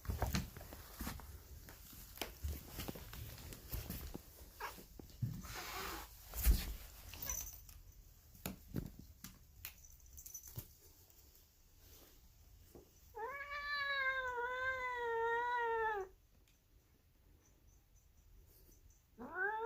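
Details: Female polydactyl cat making weird noises: after a stretch of clattering and knocking, one long, drawn-out meow with a wavering tone lasting about three seconds, then a second meow starting at the very end.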